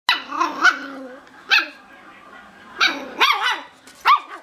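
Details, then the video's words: Miniature schnauzer puppies barking at each other from either side of a puppy pen: short high yappy barks in bursts with pauses, some with rising whiny tails, several overlapping exchanges. "Mini Schnauzer Puppies Chatting"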